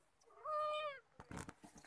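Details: Kitten giving one clear, level, harmonic meow lasting about half a second, followed by rustling and handling noises.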